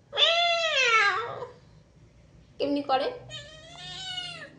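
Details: Domestic cat indoors: a bright, clear, long meow sliding downward, then a short choppy mew and a thinner, steadier drawn-out meow at the end.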